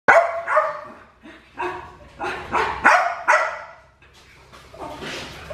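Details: Black tri male puppy, Clementine's, neutered, at Fifteen Acre Farms during a bath: a run of short, harsh, harmonic barks or yelps, about seven bursts in under six seconds, irregularly spaced, with a brief softer noise at the end.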